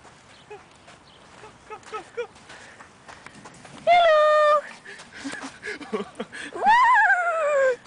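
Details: Rocky, a Yorkshire Terrier playing on a playground slide with a stick held in his mouth, lets out two long tonal whimpers. The first is steady and level, the second starts higher and slides down. Quiet human chatter comes before them.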